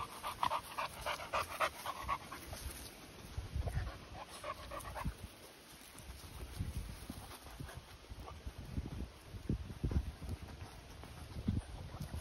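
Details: Continental Bulldogs, a 10-month-old female with a newly arrived 2-month-old puppy brother, breathing in quick rhythmic panting puffs during the first three seconds, then softer breaths and low thuds of movement.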